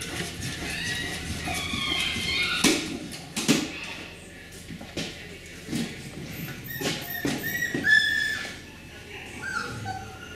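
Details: Young Beagle puppies of the Camo and Buddy litter, females, recorded 4/18/20, make scattered thin high squeaks and soft whimpers over rustling and handling noises, with brief speech in the background.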